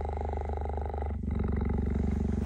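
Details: Female cheetah Gerda, kept in an enclosure, approaches the cheetah Messi after he leaves her enclosure, voicing displeasure as she defends her home. A low, steady, rapidly pulsed throaty rumble shifts slightly in tone partway through, with no other clear sounds.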